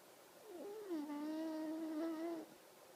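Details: Sleeping pug snoring with an odd sound: one drawn-out, steady nasal tone lasting about a second and a half, slightly rising near its end, with clear overtones, in a quiet indoor room.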